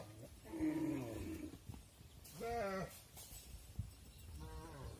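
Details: Cattle on a farm as the mother cows enter the barn while their calves stay outside; a long wavering moo, then a short rising bawl about two seconds later and a fainter call near the end, over low rumbling background noise.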